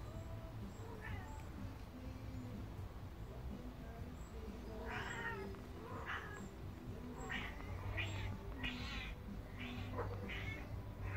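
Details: A Devon Rex cat stalking a fly makes a run of brief chirps and clipped meow-like calls, each a quick rising burst, coming closer together toward the end, over a steady low hum.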